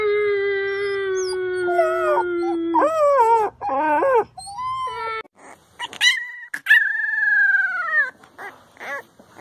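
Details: Puppies crying and howling, a low sustained tone under rising and falling whines, followed by broken yelps and a final long high wail that gently droops in pitch.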